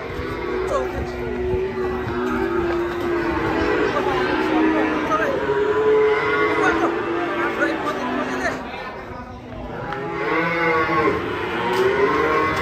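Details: Cattle mooing while agitated during unloading from a truck, one falling into a ditch: loud, drawn-out, wavering moos repeated over the whole stretch, overlapping with shouting people and crowd noise.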